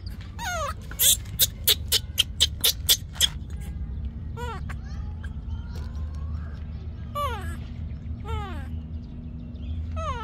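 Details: Yaya's baby monkey wanting Yoyo's milk opens with a fast run of sharp, loud broadband yelps, about five a second, then breaks into several long downward-sliding screams, voices murmuring behind.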